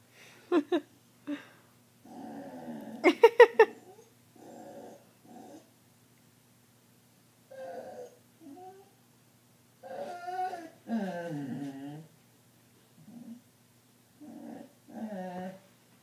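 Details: A female pet dog 'chatting' indoors, as she does every night while the family watches TV: irregular bursts of growly, whiny, yodel-like vocalizing with rising and falling tones, short phrases split by pauses, one sharper yelping burst early on, over faint room hum.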